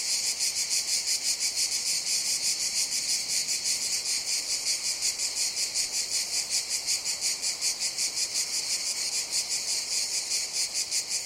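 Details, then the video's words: Long stretch of cicadas buzzing: an intense, high, hissing drone with rapid regular throbs, close to three per second, holding steady from start to end. "Sounds of Cicadas"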